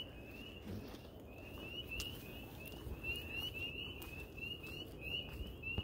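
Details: A chorus of spring peepers on a late summer night in a small Upper Peninsula town gives high, clear, rising peeps that overlap steadily, with footsteps below from a walk with a German shepherd.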